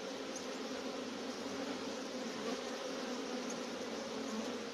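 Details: Honey bee swarm on March 29th, 2021, near a bee yard, the keeper's second swarm of the season; loud continuous droning of countless wings, steady and even, with a faint high tick or two.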